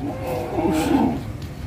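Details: Cattle rampaging while being used for ploughing, a loud low drawn-out bellow holding steady for over a second with a slight rise and fall, heavy background rumble.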